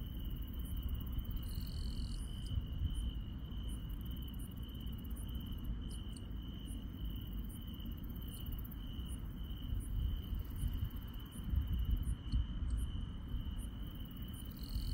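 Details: Rural night insects sing a constant high-pitched drone, with regular very high ticking chirps about every half second and a brief higher buzz near the start, over low rumbling background.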